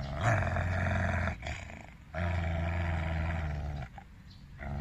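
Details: An aggressive Siberian husky being evaluated for behaviour training gives long, deep, rumbling growls.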